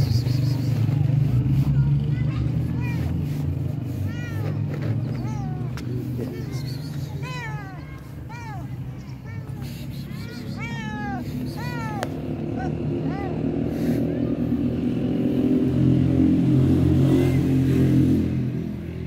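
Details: Hungry stray cat with fluffy fur gives a burst of quick, rising-falling harmonic meows packed into the middle stretch, then falls quiet as heavy low engine and traffic noise dominates.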